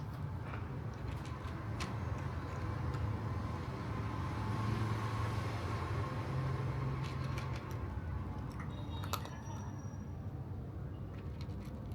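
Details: Steady low outdoor rumble of passing vehicles, with scattered faint clicks and taps and no animal calls.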